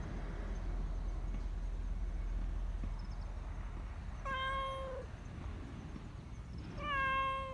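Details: A black Persian community cat living in a park gives two drawn-out, steady meows over a low outdoor rumble, calling often because it wants attention and affection.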